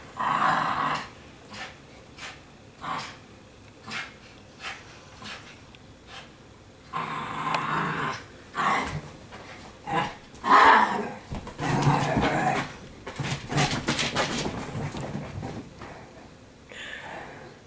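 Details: Indoor Italian Greyhounds on laundry day playing with a lost marble: rough growling and short barks come in repeated bursts, some louder yelps midway, with a woman's voice now and then.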